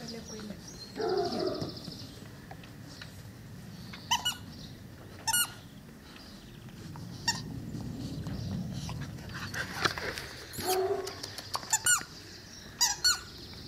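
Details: Cane Corso puppies, twelve weeks old, offspring of Axa and Bullet, let out short, high, squeaky yelps in scattered bursts. Human voices murmur between them, and bird chirps and outdoor rumble run underneath.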